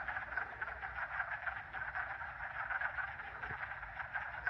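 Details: Spring at a vernal pool: hundreds of wood frogs in the mating season, seen swimming on the surface, form a dense chorus, a continuous mass of low, clucking, duck-like croaks.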